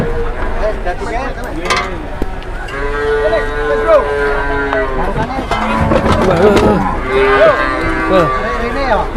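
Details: Cattle mooing aboard an overloaded truck: several drawn-out, wavering moos, some with rising-and-falling arched tones, overlapping one another amid steady rumbling background noise and a brief spoken remark.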